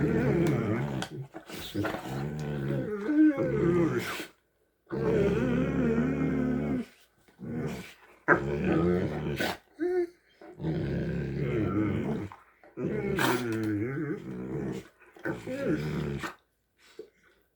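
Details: Strange hippo-like noises from two Great Danes: long, rough, growling moans held for a second or more, repeated in runs with short silent gaps, with an occasional higher squeaky note between them.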